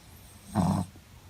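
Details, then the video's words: Sleeping Shih Tzu Muku-chan gives a single short, throaty snore, a low rasping breath lasting under half a second against a quiet room. "【シーズー】眠気を誘うムクちゃんのいびき【shih tzu】"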